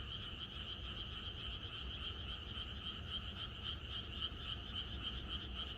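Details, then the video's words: On a country night before rain, a chorus of frogs, the brighter calls here standing out as rhythmic pulses a few times a second within a steady massed drone, with low rumbling noise below. "이것이 자연의 소리 ~개구리들의 합창"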